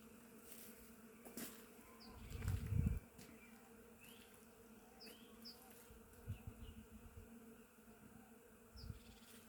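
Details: Many bees visit a flowering willow in spring, their dense, low hum a continuous droning buzz, with faint, high bird chirps coming and going and low rumbling gusts of wind rising and falling.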